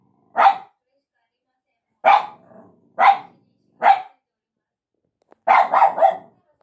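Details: Small dog barking at a person in sharp single barks spaced about a second apart, ending with a quick triple burst of barks.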